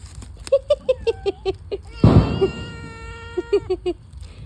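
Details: Domestic cat, described as greedy for fish, meowing indoors near fish. A single drawn-out, steady mid-pitched meow follows a loud thump. Soft rhythmic tapping and people talking and laughing are also heard.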